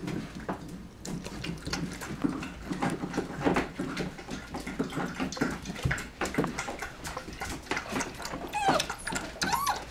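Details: Border Collie x Australian Shepherd puppies aged nine weeks, lively and playing indoors at a Minnesota rescue: steady clatter and scuffling with short whines, rising squeaky yelps toward the end.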